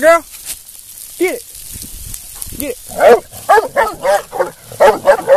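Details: A female Black and Tan Coonhound, almost 2 years old and in show training, bays in deep, ringing, arched notes, with a man talking nearby.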